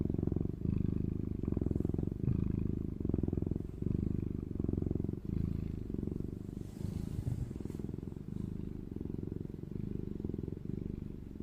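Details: Eomji the cat fast asleep, snoring and purring in a deep continuous rumble that rises and fades with each breath about once per second, softening toward the end.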